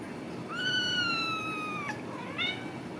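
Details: Ragdoll kittens from a home cattery in central Kansas, raised without cages: a long, steady, tonal meow held for over a second and falling slightly at the end, then a short rising second mew, over a low steady hum.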